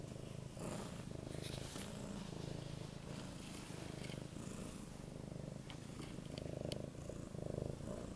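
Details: Loud, continuous purring from Goldie, a male Siberian cat of 8 months, begging for cuddling time indoors; deep rumbling throb alternating with breath cycles, plus brief soft rustles and small clicks near the end.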